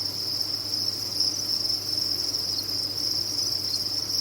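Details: Crickets from a cricket farm chirping en masse, a steady high-pitched shimmering trill without gaps, slight flickers in intensity, and a quiet low hum in the background.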